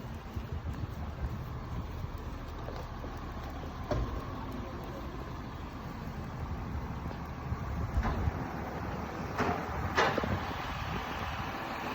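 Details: Steady low vehicle rumble with faint speech and a few scattered clicks, and no animal voice.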